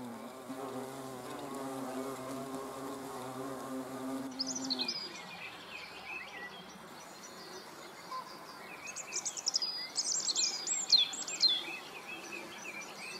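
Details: Hornets on 30 June 2020 hum loudly in a rich, even buzz for about four seconds before it cuts off, leaving high, sweet bird twitters and trills that grow more lively toward the end.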